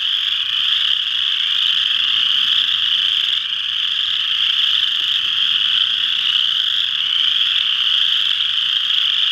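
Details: Many western chorus frogs at Ojibway Park, Windsor, Ontario, forming a thick, constant chorus of high-pitched rattling trills that overlap without pause, the level staying even from start to finish.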